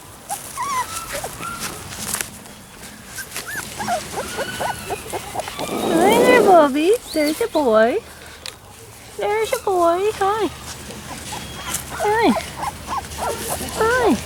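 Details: Three male Labrador Retriever puppies of Sasha & Moses, on their first day on the lawn and not happy, 10/28/13; repeated high whimpers and yelps, rising and falling, about two a second, mixed with a person's coaxing voice.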